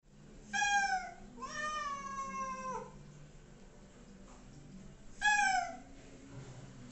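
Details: Two pet cats being bathed indoors, waiting while shampoo takes effect; three drawn-out, falling meows of protest, the middle one longest, separated by pauses of room quiet.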